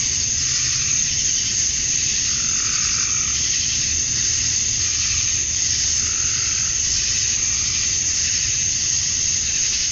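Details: Dense chorus of male cicadas calling to attract mates at summer dusk in Georgia, USA; an unwavering high electric buzz with gentle pulsing waves in the middle range and a soft low rumble.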